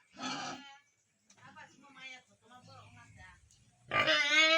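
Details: Ten-day-old piglets at a Tripura pig farm: a short shrill squeal opens, then quieter low grunts and snuffling follow, before a strident, long squeal bursts out at the close.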